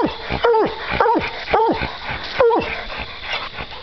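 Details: Two coon-hunting dogs baying at a treed raccoon, strong bow-wow barks repeated about twice a second in uneven bursts, while men laugh and urge the dogs to speak.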